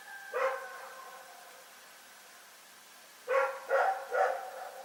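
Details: Rex the dog barks in the night at Pyrga: a single bark, a pause of nearly three seconds, then three quick barks in a row, each short and harmonic, against a still night background.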